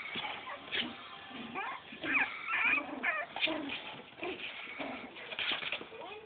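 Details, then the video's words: Four-week-old Cavalier King Charles Spaniel puppies giving high, wavering whimpers and short yips, several overlapping in quick irregular bursts, with soft background noise. "4 week old cavalier king Charles puppies"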